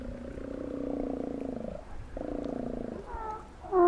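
Steller sea lions give deep, rumbling, pulsed roars, then a few higher, clearer bawling calls.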